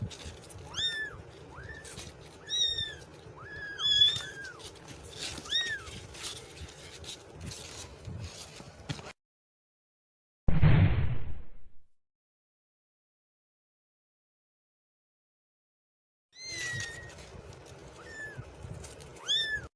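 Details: Kittens meowing in a compilation: high, arched mews repeated rapidly, several overlapping, for about nine seconds, then a short loud burst of noise, silence, and more thin mewing near the end.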